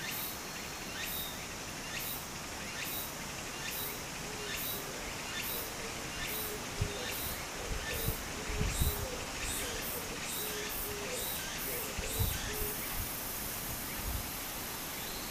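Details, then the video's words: Cicadas by a small stream in Japan in summer: short high buzzing bursts repeat about every second over a steady rush of flowing water, with a low pulsing note sounding alongside midway through. "小川の流れと蝉の声 自然音 ～夏～ Japan Sound of nature Cicada's voice"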